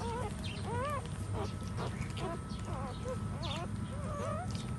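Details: Puppies nursing from their standing mother give faint, wavering high squeals, several short overlapping whines rising and dipping in pitch, over a steady low rumble.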